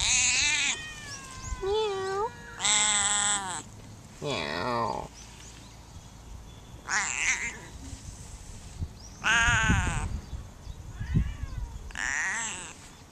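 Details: Talkative wild cat in Funakoshi, Japan, answering a person: a string of loud, nasal meows, some long and wavering, others short and curving upward, spaced a few seconds apart between bits of human speech.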